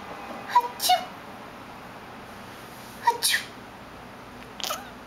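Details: Veda, a pet cat who is otherwise silent and calls only when someone sneezes, answers sneezes indoors with short high meows, two pairs of brief chirpy cries about two seconds apart, with sneezes and a person's voice close by.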